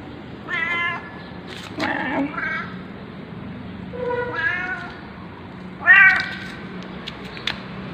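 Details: Ginger stray tomcat that sleeps in a parking lot, recorded at 6:32 AM on 13 November 2021 with an OPPO A5s phone. He gives four drawn-out, harmonic meows spaced about 1.5 seconds apart, the last the loudest, over a low steady hum.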